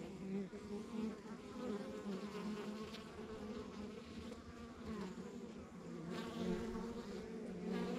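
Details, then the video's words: Continuous hum of honey bees from a rural backyard beehive, a thick low drone with wavering upper tones and gentle rises and falls in loudness throughout. "Relax to the Sounds of Our Backyard Buzzing Beehive"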